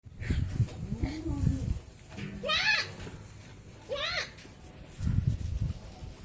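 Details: Goats at Limra goat farm: two loud, wavering, quavering bleats a second and a half apart, each sliding upward then falling, surrounded by people talking and children's voices indoors.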